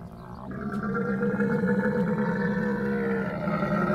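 A dromedary gives a long, rumbling, gargling groan with a rough, bubbling texture, held steadily for several seconds.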